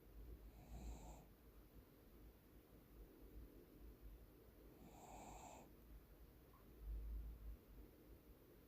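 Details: Deokbae, a Cocker Spaniel, snoring while asleep indoors in the morning: two hoarse, breathy snore bursts about four seconds apart, each lasting roughly half a second, over a quiet room hum.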